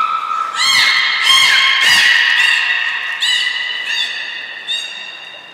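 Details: Belugas Hodoi, Taanya and Mirai in a pool at Nagoya Port Aquarium, 14 March 2021, moved between pools and trained. A rapid run of bright, harmonic, creaky squeals and pulses, dense at first, then thinning out.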